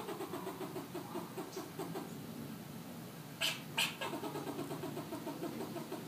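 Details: Rapid, low, nasal pulsed chatter from a fox squirrel in Southern California runs throughout, about three notes a second, broken near the middle by two sharp, bright clicks.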